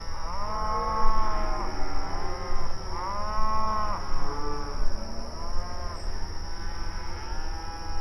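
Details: Several cows mooing mournfully at night: long, drawn-out, overlapping moos that bend up then down, a few seconds apart. A steady high-pitched whine runs throughout over a low rumble.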